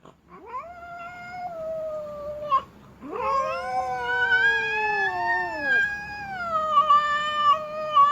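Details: Female domestic cat yowling in displeasure, with foot-stamping noted: two drawn-out tonal wails, the first rising then holding steady, the second longer and louder, swelling and wavering over several seconds before ending.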